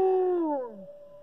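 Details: A British Columbian timber wolf (gray wolf) gives a short howl, a smooth tone that slides steadily downward and fades out.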